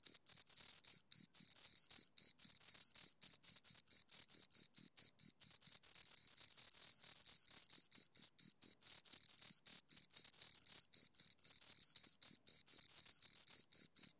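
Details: Close, continuous chirping from two crickets: very high, pure pulses following one another rapidly with tiny breaks, at times blending into an unbroken trill, in complete quiet.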